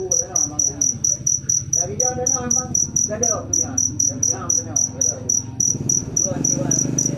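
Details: Cricket, locally called jangkrik manis, chirping in high, bright pulses that repeat several times a second in a steady run, with low murmuring voices and other indoor background sounds underneath.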